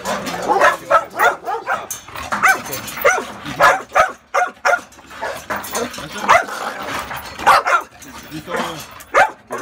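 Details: Pitbull or Rottweiler dogs, described as the most aggressive Caribbean dogs, give a rapid run of harsh, overlapping barks in irregular bursts with no real pauses over about ten seconds, possibly from more than one dog.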